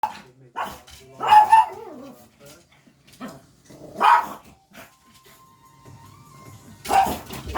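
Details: Pet dog barking indoors while watching television, reacting whenever animals appear on screen; three sharp bark bursts at irregular intervals, separated by quieter television sound and a brief steady tone.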